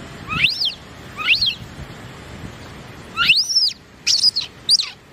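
A baby monkey gives short, high squeaky chirps that arch up and down in pitch.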